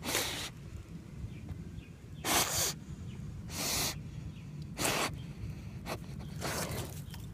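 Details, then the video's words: Basset Hound snorting: loud, rough bursts of breath about every one to two seconds, some doubled, standing out over low outdoor background noise. "Basset Hound Sniffing and Snorting"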